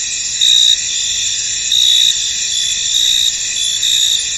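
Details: Foggy field at dusk-like calm with crickets: a high, unbroken trilling bed and three or four louder chirp bursts, each under half a second, standing out above it.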